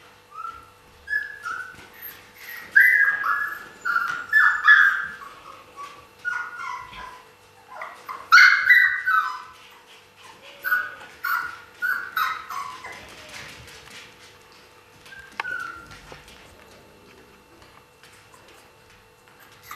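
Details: Siberian Husky puppies recorded in 2015: a long run of high, tonal whines and whimpers, many short sliding notes in quick succession, with louder squeaky bursts around the middle and quieter whining toward the end.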